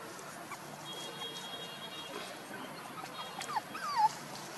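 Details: Puppies aged one month and two days give a couple of short, high whining whimpers near the end, each a thin tone that bends and wavers, over steady low background noise.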